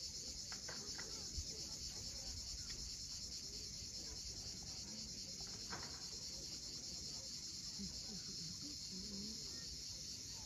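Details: Sunset on the Crimean coast at Cape Fiolent: the cicada chorus holds an even, high, sizzling drone throughout, with scattered short bird twitters and soft wave noise in the background.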